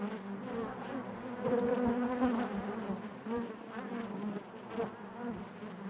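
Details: Steady drone of honey bees inside the hive, a soft multi-toned hum with wavering close buzzes drifting in and out, loudest around two seconds, then easing.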